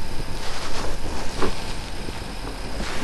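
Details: Loud buffeting wind rumbles against the microphone throughout, with no animal voice standing out.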